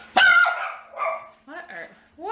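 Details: Schnauzer just back from hunting in the yard lets out one sharp, loud bark that falls off quickly, followed by a woman's voice asking what he is barking at.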